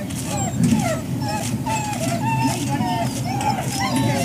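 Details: Dogs whining impatiently before breakfast at Service Dog Project, Ipswich, MA, USA, October 2017; short, repeated nasal whimpers bend up and down almost continuously over a deep background hum.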